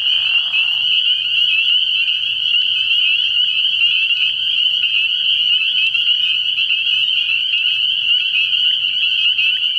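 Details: Early-year frog pond at night with a massed spring peeper chorus: relentless high-pitched peeping fused into a steady ringing tone, a short lower burr audible at the very start.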